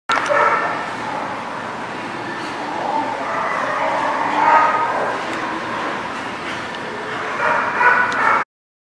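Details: Dogs at The Barking Lot on 5 July 2019, a dense chorus of overlapping barks and yips from several dogs with steady background noise throughout.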